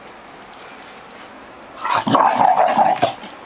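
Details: A female Bull Terrier gives a wavering, moaning grumble that rises and falls, voicing jealousy while her owner holds her toy bull terrier.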